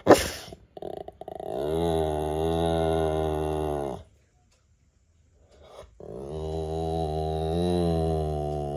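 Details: Indoors, an American Bully gives two long, low, droning growl-like groans, each around two and a half seconds, separated by a silent pause of roughly two seconds; a short click opens the recording.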